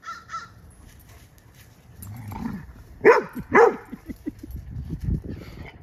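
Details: A 10-week-old female yellow Lab mix named Lemon, romping with her foster's dog, gives two faint high yips, then two loud barks in quick succession followed by low grumbling and scuffling noises.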